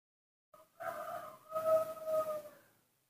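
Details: Hand-reared newborn monkey asking for milk gives a brief tonal note, then a sustained, steady, whistle-like wail with clear overtones lasting about two seconds, rising slightly in loudness before fading.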